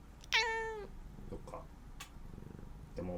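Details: A talkative cat, possibly wanting to play after being fed, gives a bright, drawn-out meow with a slight falling end, followed by softer chirps.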